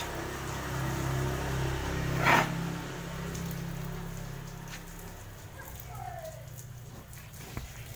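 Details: Rain patters alongside a passing vehicle's engine hum and a brief burst of noise, with faint voices and no animal sound.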